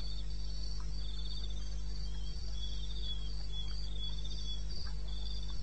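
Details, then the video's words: Crickets of the eastern Botswana wilderness at 2:30 am, 21 May: high pulsed chirping trills rising and fading in short phrases from several insects, over a low constant hum with two soft thuds. "1 Hour cricket sound"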